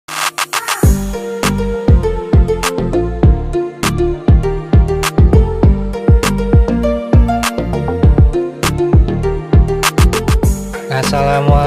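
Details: Loud electronic hip hop beat with pounding drum machine and synth, and nothing else.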